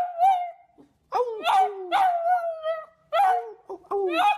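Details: Puppies make short wavering howls and yelps, each about half a second to a second long, sliding downward in pitch, with brief pauses between phrases.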